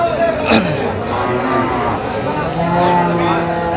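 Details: At Ambari market in Dinajpur, Bangladesh, 17 October 2025, where cows with calves are sold: a long, low, flat moo rises out of the second half amid chattering voices and general market bustle.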